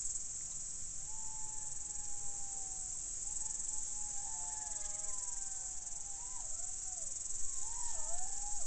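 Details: Several jackals howling at night in Estonia, 29 August 2019 at 22:48; thin, wavering, overlapping howls rise and fall through the clip over a loud, steady, high-pitched cricket chorus.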